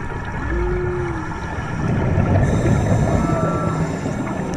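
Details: Underwater song of humpback whales heard close by on a March dive in Maui: a long arched moan early, then a fainter high sliding whistle, with constant engine drone and water noise.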